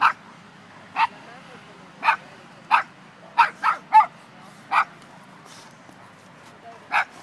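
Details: Barking dog where an Irish Wolfhound meets a Dogo Argentino: punchy single barks spaced roughly a second apart, with a quick triple burst near the middle and quiet low background noise.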